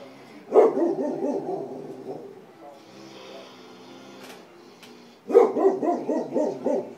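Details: An English Springer Spaniel barking at a picture of a puppy on a computer screen gives two bursts of quick, repeated, mid-pitched barks with a quieter pause between.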